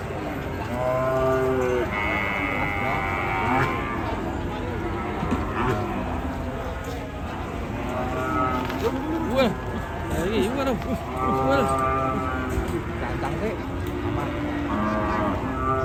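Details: Raging cattle bellow repeatedly in rough, harmonic bursts, each one or two seconds long, coming every few seconds amid constant low rumble and background voices.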